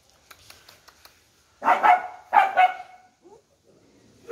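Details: Dog barking at a shelter for rescued dogs, where the pack has just been fed and a paralysed puppy is kept in a cage: two short, harsh barks about half a second apart, with faint clicks and quiet rustling before them.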